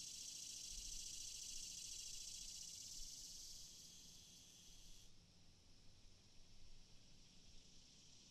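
Cicadas produce a steady, high-pitched hissing drone that drops abruptly in intensity partway through.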